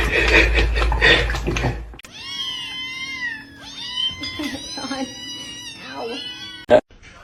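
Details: Kitten meowing repeatedly indoors, a series of rising-falling tonal meows, some drawn out and wavering, after a burst of noisy rustling at the start, with a sharp click near the end.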